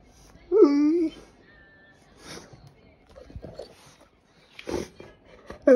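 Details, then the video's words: A 1-year-5-month-old, 42 kg Golden Retriever in Sapporo, Hokkaido, who only recently learned to howl, gives a short, wavering howl that rises and then slides down. "遠吠え✨頑張りました‼️ゴールデンレトリバー烈"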